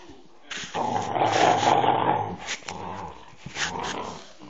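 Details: Vocal Staffordshire Bull Terrier giving a loud, sustained grumbling growl-moan of about a second and a half, followed by shorter rough grunting bursts at an uneven pace in a quiet room.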